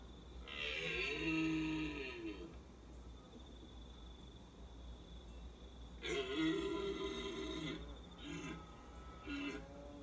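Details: Red deer stag roaring: two long, deep, harmonic roars of about one and a half seconds each, roughly five seconds apart, followed by two shorter, broken roaring bursts near the end.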